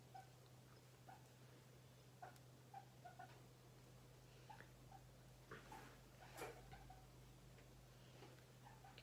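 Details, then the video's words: A domestic guinea pig let loose to wander a bedroom-like room makes faint scattered short squeaking notes and little clicks across the stretch, with a constant low hum underneath and no other voices. "si vous entendez ce bruit là, c'est mon cochon d'Inde qui s'exprime."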